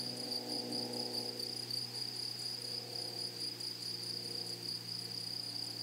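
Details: Grasshoppers singing in a flowery prairie meadow: a continuous high, shrill buzzing trill over a low droning hum that is stronger during the first second.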